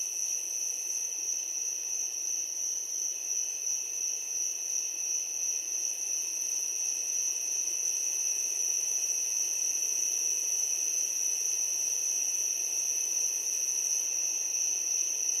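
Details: Just before sunset, a steady chorus of crickets, their high, shrill trills blending into one unbroken ringing tone.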